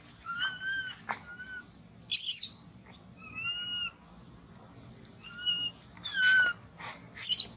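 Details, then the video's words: Orphaned baby monkey named Thona, who lost its mother and is hungry for milk, gives clear plaintive tonal cries, some level, some falling, alternating with piercing high squeals roughly every second or two. "Pityful Baby Thona Lose Mom Crying Loudly, Poor Thona Much Hungry Milk."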